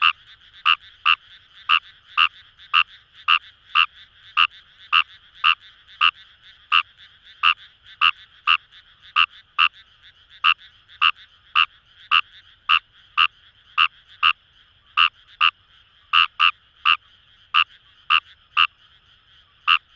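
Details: Fejervarya kawamurai frogs in rice paddies near Itoshima, Fukuoka Prefecture, Japan; a steady run of clipped, rasping croaks, roughly one per second, over a soft continuous chorus of more distant frogs.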